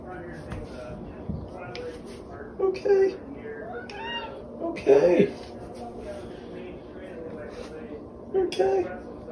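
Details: Indoors, the OK Cat, a female cat whose vocalisation sounds like "okay", utters three brief, spaced meows against steady background human chatter.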